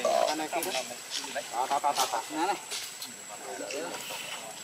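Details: Baby monkey named Luno screaming and crying as his mother leaves him in the water; a rapid run of short, tonal, wavering cries, rising and falling, several in quick succession with a brief high squeal at the start.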